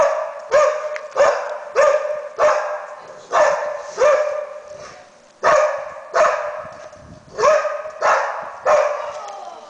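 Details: A search and rescue Labrador Retriever giving its alert barking to signal a find. Strong, clipped barks follow one another at a brisk, fairly even pace of about one and a half per second, about fourteen in total.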